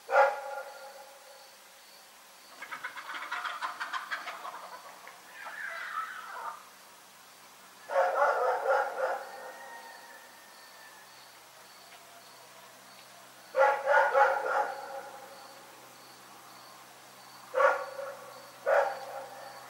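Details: Rex the dog barking in the night, with bursts of rapid harmonic barks and a drawn-out whining bark early on, separated by quiet gaps, then two sharp single barks near the end. A faint steady insect-like ticking runs underneath.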